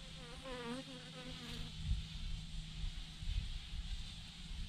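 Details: Thousands of honey bees hanging in a massive clump on a branch: a buzzing tone with a wavering, rising and falling whine early on as a bee passes close, then a steady low hum with rumbling noise.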